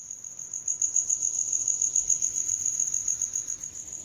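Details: Cricket chirping steadily: a high, narrow, pulsing trill held without pause, pulses coming several times a second with slight swells in loudness; faint low background rumble beneath.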